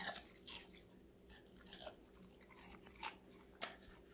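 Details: Vegetable meal of a young female Golden Retriever named Connie, five months old: sharp crunches and wet chewing, with loud bites near the start and at about three and a half seconds, against a soft constant hum indoors.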